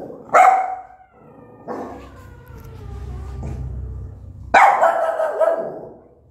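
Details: Aggressive mother dog barking at her newborn puppies: a sharp bark, a fainter drawn-out sound in the middle, then a second strong bark with a falling, whining tail near the end.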